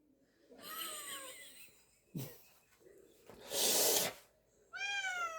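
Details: A rescued stray cat indoors, meowing to be let into a room during laundry folding: a wavering meow, a woman's voice, then a loud rustling burst, and finally a second rising-then-falling meow.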